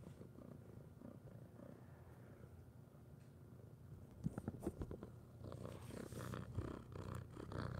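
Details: Orange cat purring indoors: a low, steady rumbling purr that runs through the clip, joined by soft rustling and handling sounds toward the end.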